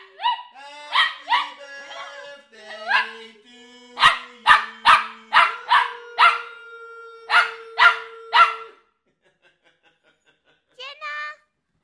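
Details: Dukie, a dog turning one, joins in loudly as people sing happy birthday: short, bright, rising yelps in quick bursts of two to four over steady sung notes, then a pause and one last yelp.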